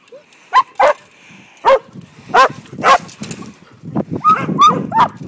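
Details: Barking from Aragorn, a Briard puppy aged five months, herding sheep for the first time: a run of about ten clear, ringing barks at uneven intervals, some bending upward in pitch and growing quicker toward the end.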